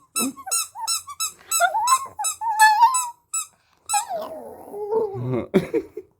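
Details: A singing puppy howls in a wavering, rising tone that climbs then slides back down, with a second drawn-out falling howl after a short pause; rapid, evenly spaced high squeaks repeat through the first three seconds.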